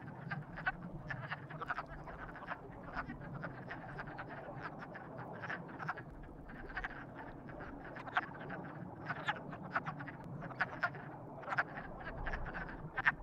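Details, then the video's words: Frogs described as being in love call in a busy chorus: rapid, overlapping croaks and clicks crowd together throughout, growing denser toward the end over low rumble. "Frogs in Love"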